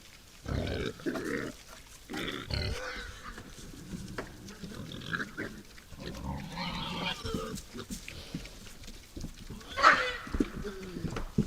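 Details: Wild boars, night visitors at a forest feeder, make short grunts and squeaky squeals in bursts, with rustling and knocking noises and a sharp shriek near the tenth second.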